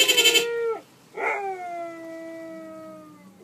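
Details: Pet Siberian Husky howling along with a car horn: a short burst of rough, broadband yelps, then a long, drawn-out tonal howl that slides slowly downward in pitch and fades over about two seconds.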